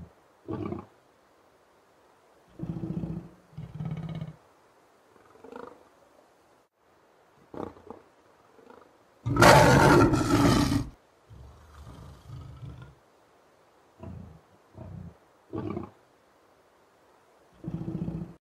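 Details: Pet African lion roaring in a series of deep, low grunting bursts repeated every second or two, with one louder, broad burst near the middle.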